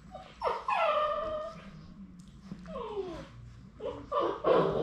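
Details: Labrador Retriever puppies, among the final three left at High Desert Labradors on their last day before going to new homes, whimpering: high whining tones sliding downward with layered harmonics, several in succession, ending in a louder rough burst.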